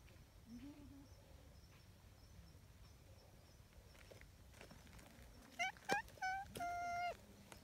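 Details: A young, somewhat timid stray tabby cat gives three or four quick, high, thin meows, then one longer, steady meow, after a quiet stretch of faint outdoor noise.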